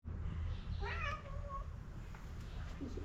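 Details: Pom pom, a street cat, meowing while insistently asking for food: one drawn-out, slightly falling meow over a steady low hum, with faint background noise.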